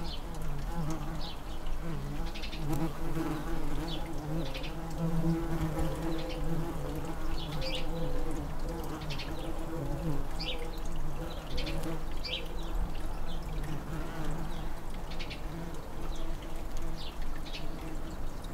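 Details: Tree bumblebees nesting in an unused blue tit nestbox in a garden, with an 'air-conditioner' bee stationed at the entrance on a hot day: a steady, low droning hum with layered harmonics throughout, and faint short chirps above.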